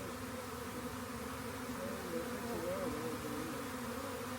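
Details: Swarming honey bees heading into a collection box, making a continuous droning buzz with steady low bands and brief wavering rises near the middle, unbroken throughout.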